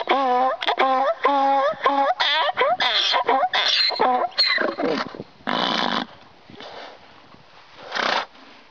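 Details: Screaming donkey braying in a rapid hee-haw rhythm, harsh harmonic phrases alternating about every half second, then fading into breathy, rasping exhalations and one final wheeze.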